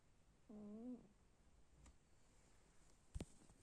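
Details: Cat snoring softly indoors: one brief, gently rising, hum-like snore of about half a second. Later come a couple of sharp clicks or knocks in an otherwise quiet room.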